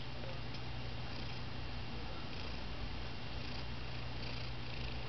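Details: Male pet cat said to have lost his meow, purring indoors: a steady, continuous low rumbling purr throughout, with no meows heard.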